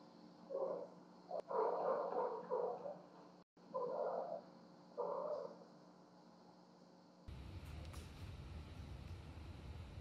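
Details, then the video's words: Cleo and Annie, two house cats, making their nightly racket while bringing presents, captured by a home security camera in a lit hallway: four muffled, wavering yowls in quick succession, then a burst of broadband rustling noise over steady hum. "Cats caught on security camera bringing me gifts"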